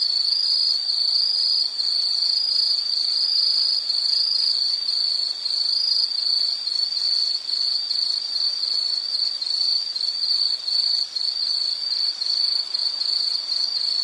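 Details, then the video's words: Insect calling nonstop: a high, steady trill, even in loudness for the whole stretch, with a faint fluttering pulse running through it and an overtone above. No other clear sounds. "Sound · Nature Sound of nature sounds scenery L · insect"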